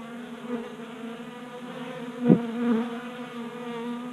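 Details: Honey bees feeding from a 3D printed tray feeder in a Colorado garage in January; steady humming drone broken by a loud, sudden buzz or knock midway as a bee passes close, then a rising whine.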